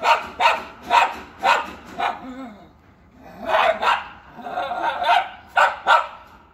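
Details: An Indian Spitz barking at a featherless peacock, as a sparrow crosses, gives about nine sharp, high yapping barks in quick bursts, with a short lull in the middle.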